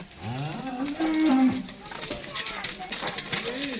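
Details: A Dutch Friesian dairy cow gives a short, nasal, rising then level moo in the first second and a half, followed by fainter lowing and background voices and noise.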